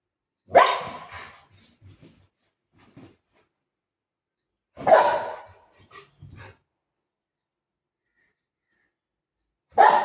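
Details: Golden retriever playing at home. Three loud single barks, each about five seconds apart, with brief faint rustles between them and otherwise quiet surroundings.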